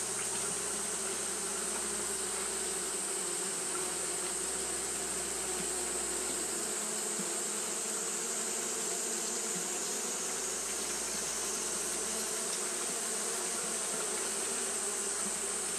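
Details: Japanese honey bees fan without pause on a hot day, giving a steady, buzzing drone over a deep low rumble and a sustained airy hiss.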